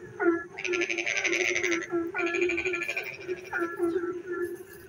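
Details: Rainy night frog song: a short tonal call, then two long grating, pulsed croaks of over a second each, followed by fainter bent calls, all over a constant low hum.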